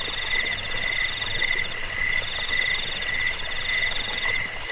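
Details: High-pitched cricket chirping for scaring off rats, inducing sleep and teaching birds: overlapping trains of quick metallic pulses at different pitches, continuous and evenly loud throughout.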